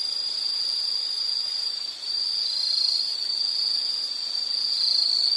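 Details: Insect song for background relaxation: a piercing, even trill sounds continuously, dips briefly partway through, then carries on with what sounds like a second overlapping caller.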